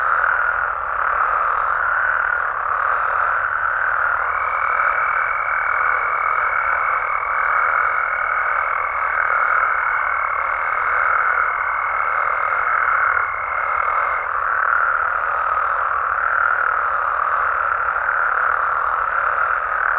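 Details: Mexican frogs and toads at night in their natural habitat, croaking together in a continuous, even chorus. Partway through, a steady high pure tone enters and lingers for about ten seconds over the massed calls.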